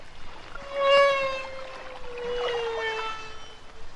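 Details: Hawaiian humpback whale singing in shallow water, so deep booming echoes are faint; a long, clear moan slides slowly downward over about three seconds, rich in stacked overtones, with a brighter swell near the start and soft water hiss beneath.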